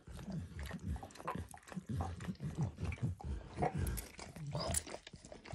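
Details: Dog named Max licking a bumpy orange mat smeared with food, eggs then diluted peanut oil; close, wet slurping licks in quick irregular bursts, heavy in low tones, no talking.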